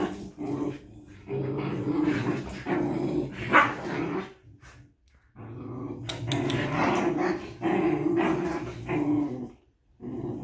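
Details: Two Old English Sheepdog puppies goofing off at a vet's office, trading rough, throaty play growls and snarls in bursts with scuffling noises and brief pauses between bouts.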